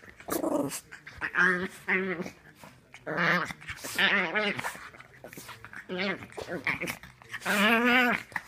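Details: A dog gives a run of short, tonal whining and grumbling vocalizations, each lasting about half a second, with wavering, bending pitch and pauses between bursts, and a longer drawn-out whine near the end.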